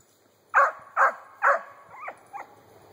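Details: Young female Treeing Cur, four months old, treeing a grey squirrel in a hollow den tree: three loud, sharp barks about half a second apart, followed by two softer whining, rising yelps.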